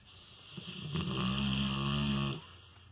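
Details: A sleeping dog snores indoors: one drawn-out, droning inhale of about two seconds, low and buzzy with a steady hum beneath, swelling gently and then cutting off in a quiet room.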